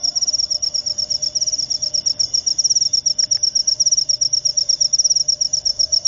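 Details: A jangkrik upo cricket gives a loud, high, rasping chirp made of rapid pulses, grouped in irregular bursts about three per second, with a faint steady hum and a soft click behind.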